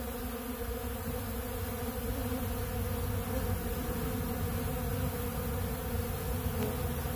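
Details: Swarm of honeybees gathered at a big blue pollen feeder, eating bee pollen; a constant thick buzzing drone of many insects, even in loudness, with low rumbling undertones.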